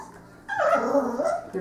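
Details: Ten-week-old female Cocker Spaniel puppy, able to climb stairs but afraid to go down, while a black dog tries to coax her: a single drawn-out, tonal bark-whine lasting about a second, sagging slightly in pitch, after near silence.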